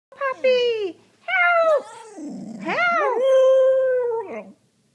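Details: Borderstaffie puppy joining in on a call for help, indoors: drawn-out wailing howls with rich harmonics, the first falling, later ones rising then holding level, with a rough growly stretch in the middle across about four seconds.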